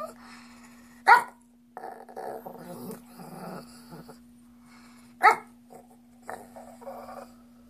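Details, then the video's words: Chrissy, a pet Shih Tzu indoors, eyes dog snacks and begs with odd alien-like noises: two sharp snorting yelps framing a wavering, moaning murmur in a small room with a steady electrical hum. "Alien Shih Tzu Wants Treats"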